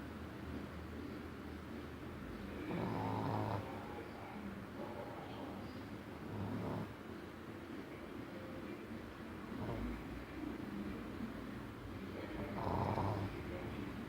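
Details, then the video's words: A female Shih Tzu snores in low, rasping breaths that recur every three seconds or so. "SHIH TZU RONCANDO"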